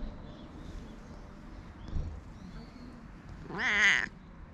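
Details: Temple cat in Japan with a gravelly voice, being petted and filmed on a GoPro: a quiet stretch of soft rustling, then a single loud, strained meow that rises and falls near the end.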